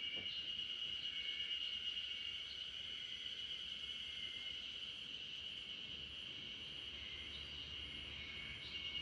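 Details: Spring cicadas massed in a backyard where RunRun, a Great Pyrenees, sleeps to their sound: one clean, constant high-pitched drone with a faint pulsing shimmer, no other noises intruding.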